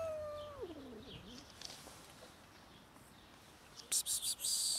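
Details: A new black kitten, one of many around in kitten season, eating cat food for the first time; a drawn-out meow slides downward over about a second and a half, then near-silence, ending in several sharp, crackly bursts.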